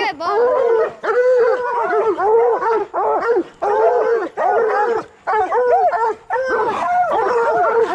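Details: Bluetick and black and tan coonhounds training on raccoons bay in repeated bursts of arched, harmonic bawls, each volley about a second long, separated by short silences.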